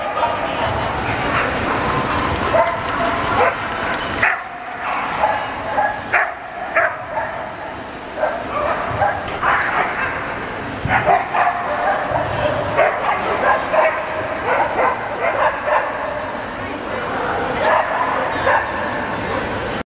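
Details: At a Lahti dog show on 27 April 2014, champion class male Samoyeds bark in scattered runs of sharp, ringing yaps, sometimes several in a row, amid loud background chatter and crowd noise.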